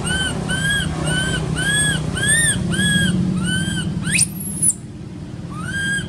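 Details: Baby monkey crying, uncared for by its mother, in an archaeological park: about seven steady, arched whistle-like wails in a rapid, regular series, broken by one sharp, high rising squeal, over a constant low rumble.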